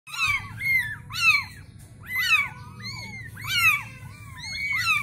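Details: Newborn Bengal kitten meowing: high, thin, downward-sweeping cries repeated roughly every second, six calls in quick succession over a low indoor hum.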